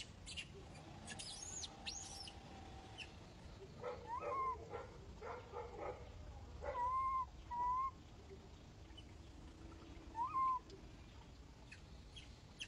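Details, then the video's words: Baby monkey refusing to be caught and clinging to an old monkey, screaming in short tonal arched cries around four, seven, eight and ten seconds, with a few thin high squeals near the start over a soft background hiss. "the monkey refuses, she screams clings to the old monkey"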